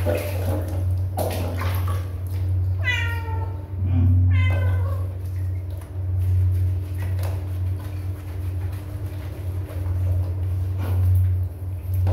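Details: Young cat giving two quick meows in close succession a few seconds in, clear stacked tones that fall slightly, then a long stretch of low humming drone and faint clicks.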